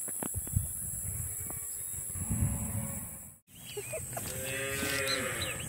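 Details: Dairy cows on a small farm while calves are being separated from them: after a brief cut, a wavering, harmonic moo with rustling and rural background noise.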